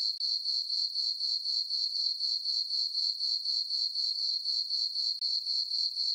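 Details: Crickets calling through a still summer night over a farm meadow lit by a full moon: shrill, tightly pulsed chirps at about four per second, steady and uninterrupted apart from two momentary drops.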